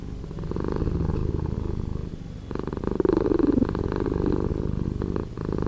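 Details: Cat purr slowed down by editing, heard as a steady low, throbbing rumble with fine rapid pulses, dipping briefly in the middle before resuming at full strength.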